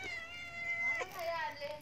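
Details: Beloved house cat stuck after climbing up and unable to come down, uttering one long, steady meow followed by a shorter falling wail while a person calls to it.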